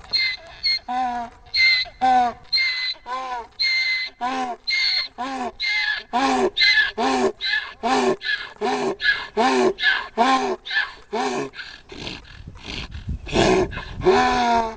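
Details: Donkey in a field beside a fishing spot in Cherokee, North Carolina, braying when someone approaches the fence: a long run of about twenty harsh, harmonic rasping pulses in quick, regular succession, wheezy in-out alternation throughout, faint laughter before.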